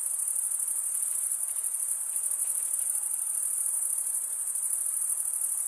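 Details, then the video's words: Shrill cricket chorus forming one continuous, finely throbbing high tone, level and steady across the clip, with only a faint low hiss beneath. "Most relaxing cricket sound"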